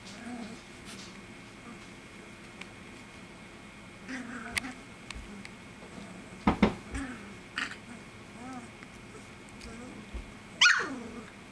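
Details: Three-week-old golden retriever puppies from Gretchen's litter, indoors, give short, high, wavering whines at irregular intervals, several in a quick cluster midway and one sharp cry near the end, amid soft rustling, clicks and bumps.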